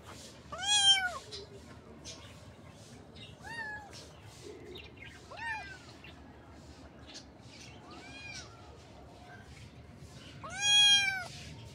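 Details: A kitten gives five short, clear meows spread over about eleven seconds, each bending up then down in pitch, the first and last loudest, against a quiet background.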